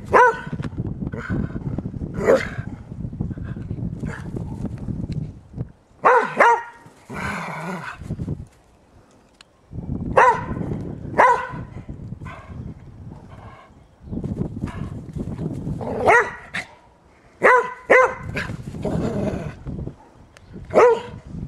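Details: An 11-year-old springer spaniel plays in fresh snow, giving scattered short barks in bursts with quiet gaps, over low rumbling handling noise and crunching.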